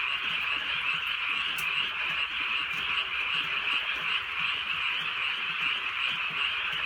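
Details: Frogs in the countryside on a drizzly night, a steady, dense trilling chorus of many callers, one brief sharp tap early on, soft rain hiss throughout.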